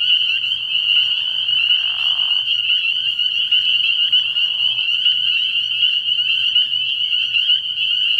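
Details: Spring peepers calling in chorus at a frog pond at night early in the year: a dense wall of high, piercing peeps, constantly overlapping and unbroken, with a faint low hum beneath and a brief softer rustle early on.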